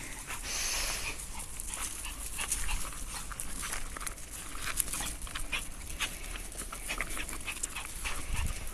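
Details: A chihuahua and a poodle playing together indoors, with a dense rough scuffling texture broken by short sharp yips and snorts scattered through the clip, plus steady panting-like breath noise.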